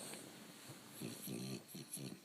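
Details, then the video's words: Bo the dog asleep indoors, snoring in rough pulsed bursts, one near the middle and a longer rattling one soon after, with a quieter snort at the end; soft human voices talk in the room. "Bo The Snoring Dog"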